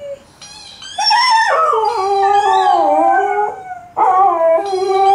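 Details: Malamute and Husky dogs vocalising together, wavering howls that rise then slowly slide down and bend in pitch, a brief quiet start, a fresh loud howl entering near four seconds.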